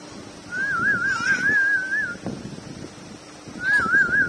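A Chow Chow whines in a thin, high, quavering tone that wobbles up and down for over a second. After a pause the same trembling whine starts again, with soft room noise underneath.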